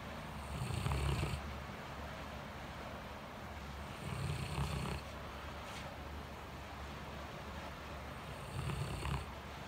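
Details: Blanche, a fluffy pure-white Great Pyrenees, snores while sleeping heavily in a cool living room on a hot post-typhoon day. Three rough, rumbling snores spaced about four seconds apart, each with a hissing breath, over a quiet steady hum.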